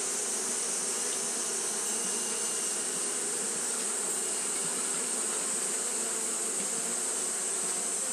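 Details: Constant fanning hum from Japanese honey bees on a hot day, a level, rich buzzing drone beneath an unchanging high-frequency hiss.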